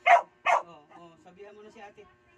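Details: Two loud, clipped barks from Mia the Aspin dog in quick succession, followed by a person's low murmured speech.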